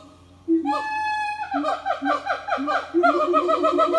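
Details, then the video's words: Morning chorus of a siamang family at an eco-tourism organic farm: a loud rising whoop opens, followed by a run of descending harmonic hoots repeated about twice per second. "Good morning song from Siamang Family"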